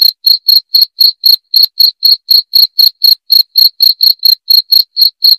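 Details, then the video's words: Loud, clean cricket chirps meant to repel rats, each a sharp high pulse, arriving at a brisk even pace of roughly four per second against complete silence. "SUARA JANGKRIK PENGUSIR TIKUS"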